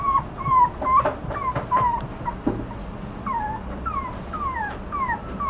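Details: A Toy Poodle puppy whines in high, falling, nasal whimpers, first in a quick cluster with a few soft knocks and clicks. After a short pause, longer drawn-out descending cries come at a slower, uneven pace.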